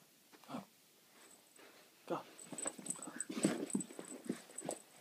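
A Boston Terrier gives short grumbling whines and growly noises, with people talking nearby.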